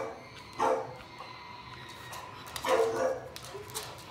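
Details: Young English Bulldog barking as it watches another bulldog on screen, two low hoarse barks around two seconds apart, with light rustling and a brief short yip after the second.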